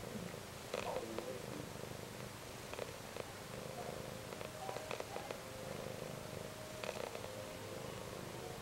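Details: Pet cat snoring indoors on a quiet, grey Saturday: soft, breathy rasps return about every two seconds over a steady low room hum.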